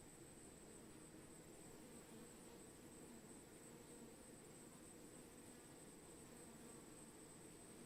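Countless honey bees hum together in a swarm, their wingbeats merging into one thick, low buzz. The drone stays even and continuous, with a faint thin hiss riding high above it.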